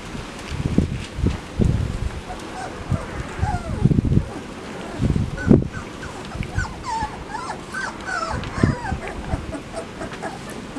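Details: Labrador Retriever puppies in a run, watched by parents Max and Whitney, 10 September 2015; thin high whimpers rise and fall in the second half over frequent low thumps and rustling handling noise.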